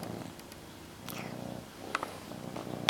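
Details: Indoor house cat purring with her favourite blanket; close, low vibrating purr in short rhythmic pulses, with small clicks and a faint rustle.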